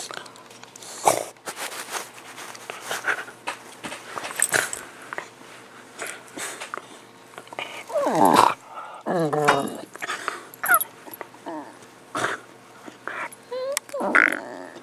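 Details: Two pet dogs, a miniature pinscher and a larger dog, playing indoors: scattered short growls and rough snarling bursts, some rising and falling, mixed with scuffling and thumps in a small room.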